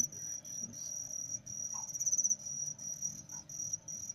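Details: Caged male crickets with a female placed among them to stimulate calling give a continuous shrill, high-pitched trill for the whole stretch, with a brief louder pulsed burst midway and faint handling noises.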